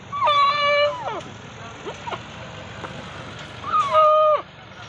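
A goat gives two loud, drawn-out bleats that hold a steady pitch before dropping away.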